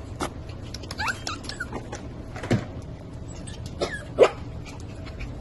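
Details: Havanese puppies, black and white, give brief high whimpers and squeaks, with a few short yips scattered across a few seconds indoors.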